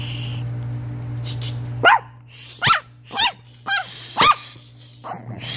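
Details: Chihuahua making odd noises: a quick series of five or six sharp, high yips, each sliding downward, spaced about half a second apart over a steady low electrical hum.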